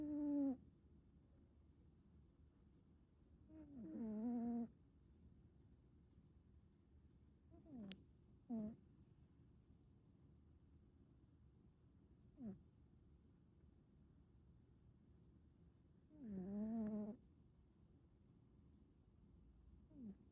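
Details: Male American Shorthair cat, black smoke coat, snoring; soft, low, tonal snores at irregular intervals, a few longer buzzing ones several seconds apart with faint short clicks and breaths between, in a quiet room.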